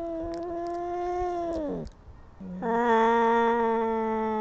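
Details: Fighting kittens: a steady, tense yowl that dips and breaks off into brief quiet, followed by a louder, even, drawn-out wail held to the end.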